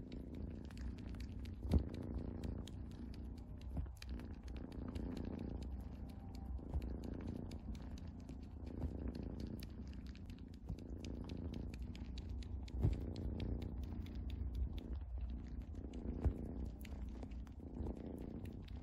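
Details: Continuous low rumbling purr from a house cat, rising and falling gently with its breathing, broken by a few small sharp taps and clicks nearby.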